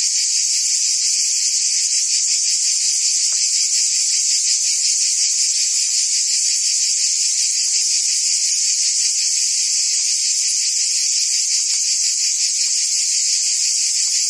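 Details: Cicadas in the trees of a forest produce a constant, sizzling high buzz that never pauses, a rapid faint pulse running under it, and the level stays flat throughout.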